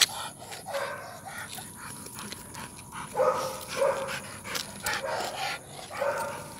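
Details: Rottweiler out on a night walk, giving short, hoarse barks in uneven bursts, about five over six seconds, with a steady high electronic whine and faint background murmur.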